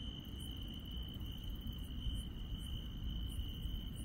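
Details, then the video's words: Countryside insects at night: a sustained high whining trill is heard, and higher chirps come at irregular intervals, closer together toward the end, over low rumbling noise. "시골 밤의 정겨운 풀벌레 소리"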